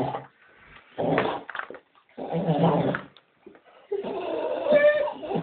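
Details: Staffordshire Bull Terrier waiting to go for a walk, with a Doberman joining in: three bursts of throaty, grumbling dog talk, rough and growly with a whining edge, separated by short pauses.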